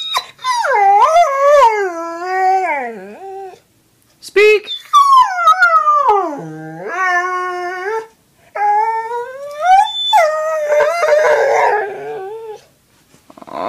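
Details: ["Brittany Spaniel, a male pet dog, 'talking' on command when told to speak: long, tonal howl-like whines that slide up and down in pitch, several drawn-out phrases with short pauses, a person's voice urging it on between them."]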